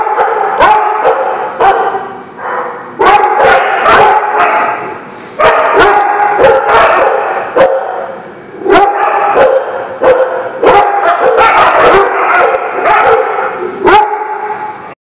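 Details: Many dogs barking at The Barking Lot on 3/30/19: a steady chorus of overlapping barks and yelps, with sharp individual barks breaking through every second or so over constant background barking.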